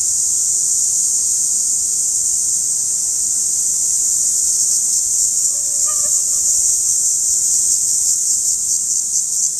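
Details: Periodical cicada: an unbroken, very high, hissing buzz held steady throughout, with a faint brief tonal note around the middle.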